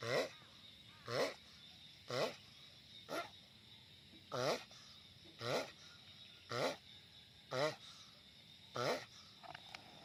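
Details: Loud giant sulcata tortoise producing a rhythmic run of nine short, buzzy groaning grunts about a second apart, each with a wobbling pitch, against a constant high-pitched background drone.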